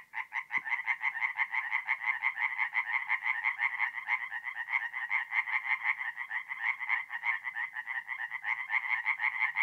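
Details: Tree frogs singing at night at a forest pond in mid-April, North-East Italy: a dense chorus of rapid, rattling pulsed croaks that overlap into a continuous, even trill with no pauses.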